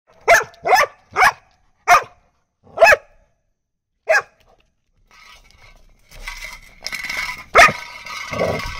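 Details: A Labrador Retriever in a barking-training session gives a run of loud, sharp barks, then noisy background sounds and one more bark.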